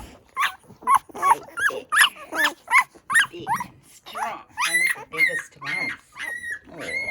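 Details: Poodle puppies on their first day of life, newborn and nursing, utter a rapid run of shrill squeals, roughly two or three per second, the later ones drawn out into wavering, whining cries.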